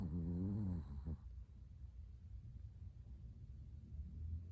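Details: Chihuahua named Latte (formerly Afu), adopted at a Kaohsiung pet expo, snoring while asleep indoors at 05:42 on 13 December 2019, his sixth day home. One loud, buzzy, harmonic snore with a wavering pitch lasts about a second, then quiet low rumbling breathing.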